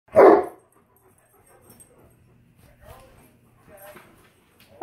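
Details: Tonka, an Alaskan Malamute, gives a single short, loud woof at the start while being left alone with ice cream indoors, followed by quiet speech and low household sounds.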